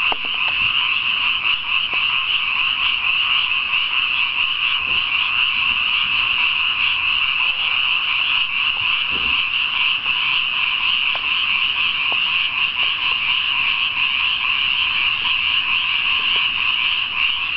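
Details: Many frogs croaking at night in a newly watered rice paddy, a dense, unbroken chorus of high, rasping trills blending into one steady shimmering drone, with occasional faint clicks beneath.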